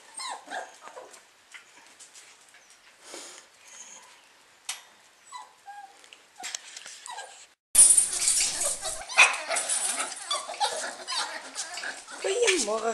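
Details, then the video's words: Litter of eight-week-old Lakeland Terrier pups waking in June 2014: scattered thin whimpers and short yips at first, then a sudden louder, denser chorus of squealing whines and yelps with rustling from about eight seconds on. "Lakeland Terrier Pups 8 Weeks Waking Up"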